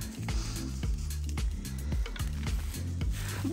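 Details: Bass-heavy music with a thumping low beat and a few light knocks over the top.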